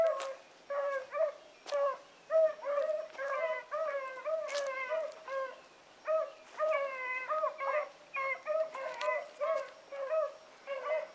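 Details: Pups in training, Sassy and Magnum with Ringo and Boone, howling together: a steady chorus of short, bent yipping howls repeated about once a second, several dogs overlapping, occasional sharp knocks.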